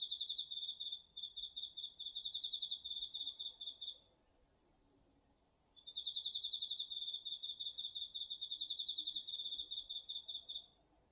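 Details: Autumn night insects, crickets among them, singing in a garden field, captured with a DR-40X recorder: fast pulsed trilling for about four seconds, a short pause, then trilling resumes, while a second insect holds an unbroken high ringing tone throughout.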